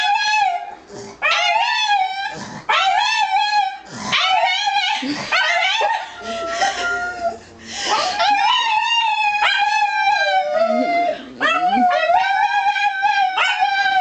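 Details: A dog howling together with its owner: a run of repeated howls, some short and wavering, others long and sustained, with overlapping voices and brief breaks between bouts.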